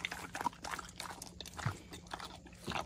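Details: Rescue pig Hans at Arthur's Acres grabbing a banana and refusing to share it; wet crunching and munching bursts come in quick clusters over a faint steady low hum, with soft rustling between bites.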